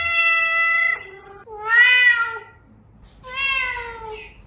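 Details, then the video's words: Cat meowing to draw cats out: three long, tonal meows, the first level and sustained, the next two swelling then slowly falling in pitch, separated by short pauses. "Meows to ATTRACT Cats (Meow Sounds to Attract Cats). Cats Meowing Sound Effects. Kitten Sounds"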